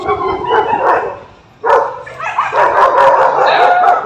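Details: A pet dog whines in drawn-out, wavering tones, with a brief lull before louder, higher whimpering yelps resume and carry on to the end.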